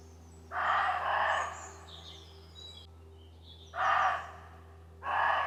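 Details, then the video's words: Roe deer calling back and forth on a walk: a doubled rasping bark, then after a pause two more gruff barks a second apart, with small birds twittering high and faint between them. "Roe deer bark | Roe deer call"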